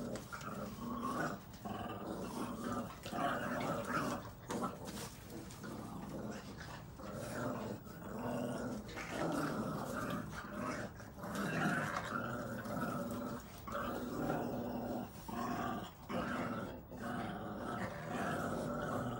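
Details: Several Boston Terrier puppies, red and brown, growl continuously while playing tug of war over a chew ring indoors, a steady rumbling texture with clicks and shuffling.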